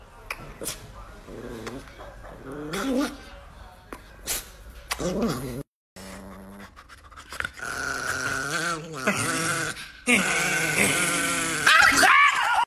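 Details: Angry Chihuahua Nikki gives short growls and yappy snarls mixed with panting, while human voices talk over the dog indoors; the snarling grows louder and harsher toward the end.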